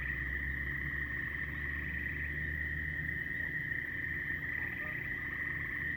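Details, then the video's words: A loud, continuous frog chorus holds one high, even ringing tone from start to end, while faint, brief pulsed trills flicker above it, with low rumble underneath. "A lot of frog calls"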